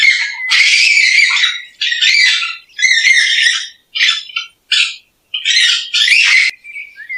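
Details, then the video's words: Raccoon uttering harsh, wavering squeals in uneven bursts, some long and some clipped short, with a shrill whining edge. "Sound of Racoons and Pictures.| Racoon sound."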